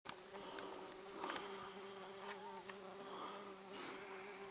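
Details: Bees give a continuous low, even buzz while collecting food in a front yard in July 2019, holding the same pitch throughout, with brief soft clicks and rustling in the background.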